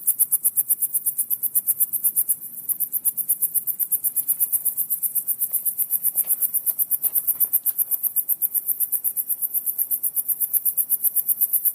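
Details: Outdoor crickets giving a rapid, continuous high-pitched pulsing chirp, roughly eight pulses a second, briefly dropping out once early on, over faint low muffled rumbling like a leaking car muffler, noticed nightly at the same spot lately.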